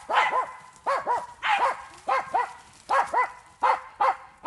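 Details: Jagdterrier training on wild boar in an enclosure, barking sharply and steadily, mostly in quick pairs, about nine barks in four and a half seconds with short gaps between each pair.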